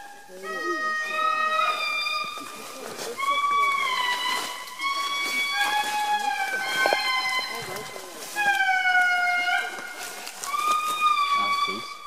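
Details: Wailing indri chorus of long held tones that step and slide between pitches across several overlapping phrases, accompanied by quiet human talk and background rustle.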